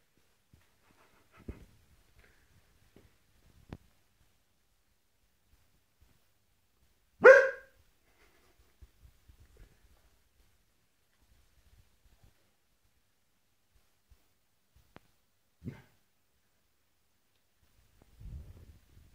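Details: Kuvasz dog letting out one sharp, loud bark about midway through, a short harsh burst, with long near-silence around it, a few faint taps and soft knocks, and a low muffled rumble near the end.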